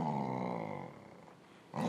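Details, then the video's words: Low, rumbling growl from pet dog Tabasco Jones "talking" back to its owner over a ball, lasting under a second, followed by a brief quiet gap before a woman speaks again. "Talking dog"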